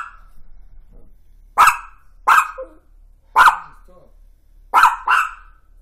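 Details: Toy fox terrier woken at 1:26 am by a crash across the street, barking in loud, abrupt single yaps spaced under a second apart, ending in a quick double bark; faint indoor background.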